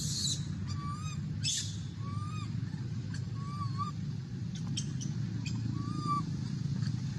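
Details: A little monkey cries for milk: short, arched whistled whimpers, each under half a second, repeated about every one to two seconds, over a steady low rumble and scattered clicks.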